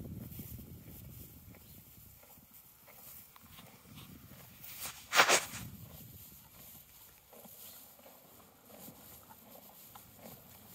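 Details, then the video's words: Horse eating hay in a field: quiet crunching and rustling of hay, broken midway by one sharp, loud breathy burst, then chewing resumes softly. "Horse eating hay in the Field Chewing sounds"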